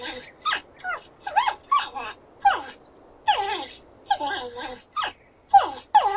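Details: Porcupine producing a long series of whiny, descending squeaks and moans, some short and yelping, others longer and wavering. Bursts follow each other every half second or so against a quiet background.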